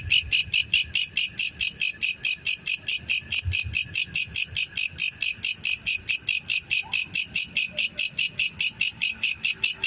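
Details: Male black cricket, known locally as jangkrik jantan or jangkrik hitam, chirping in a fast, steady train of bright, high pulses, about two or more each second, with little else heard.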